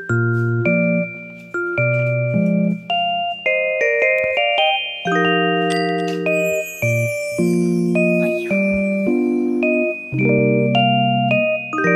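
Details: Bright glockenspiel and mallet-percussion music plays in a bouncy repeating melody, with no animal sound.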